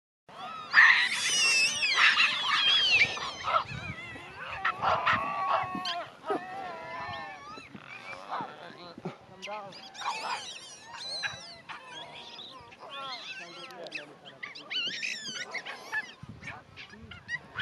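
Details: Geladas in the Simien area, giving a busy mix of high, warbling and squeaky calls with rising and falling tones, several voices overlapping throughout.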